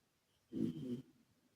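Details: Karumo, a male rescued British Shorthair cat, asleep indoors, snoring with an echo effect added; one short, low, rough breath lasting about half a second, surrounded by near silence.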